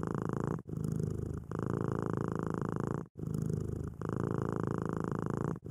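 A domestic cat purrs steadily, a low rumbling vibration that swells and pauses with each breath.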